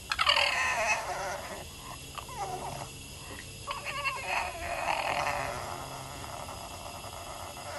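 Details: Sassy female Boston terrier crying at her owner: a loud opening yelp, then a run of grumbling, wavering whines and moans that rise and fall over several seconds without pause.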